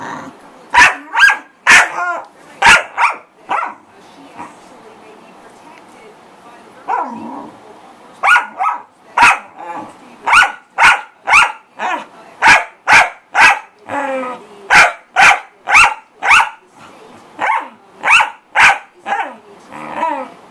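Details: Pet corgi barking noisily: a long run of sharp barks, roughly two per second, in irregular bursts with short pauses, some barks trailing into brief whines.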